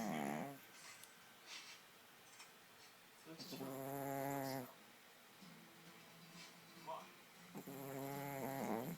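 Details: Domestic dog asleep and snoring loudly, with long, rasping, tonal breaths roughly every four seconds and softer huffs in the gaps, in a quiet room.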